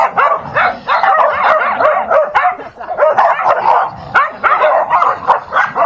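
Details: A dog fight, with rapid overlapping barks and growling snarls in short bursts about every half second and a harsh, chaotic texture.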